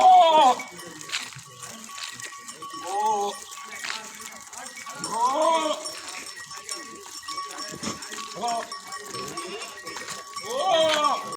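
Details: Goats in a village bleat in wavering, nasal cries, several voices calling a few seconds apart over a faint steady hum.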